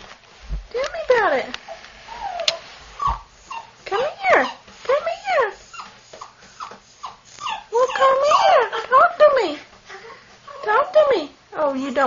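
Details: Longhaired Dachshund puppy, a black-and-tan AKC female, answering a person who urges her to talk. She gives repeated bending, arched whines and yelps, several a second, in bursts that swell and fade.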